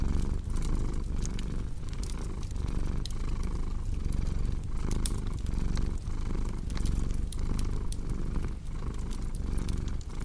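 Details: ['Low, continuous purring of a cat, rhythmically swelling with each breath, accompanied throughout by the scattered popping and crackling of a fireplace.']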